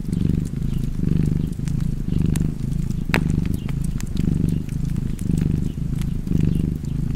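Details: Low, continuous rumble of a purring cat, rising and falling about once per second, while the crackle of a fire snaps in the background.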